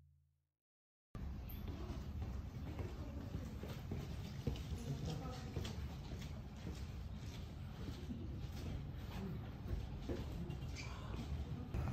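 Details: Low rumbling noise, like handling or movement close to the recorder, fills the whole stretch after a brief silence. No distinct animal voice stands out above it.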